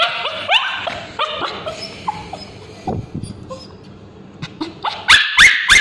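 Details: Male Bichon Frise with scabies screaming while a babysitter applies ointment to his tail: shrill, rising-then-falling yelps in quick bursts, a quieter whimpering stretch midway, then loud high cries again at the end.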